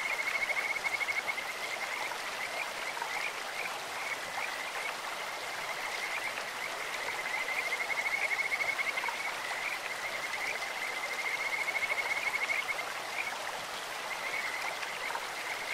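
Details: Kajika frogs in a clear stream sing in sweet, bird-like tones: high pulsed whistled trills at a steady pitch, with a burst at the start and longer runs near eight and twelve seconds, over unbroken flowing-water hiss.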